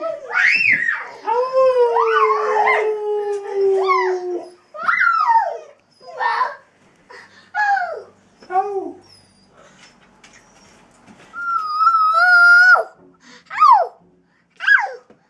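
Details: Dog howling with two companion dogs in early April 2011; a long sustained howl opens, then breaks into short separate yelping howls and whines, with one high steady wavering note near the end, pauses of silence between.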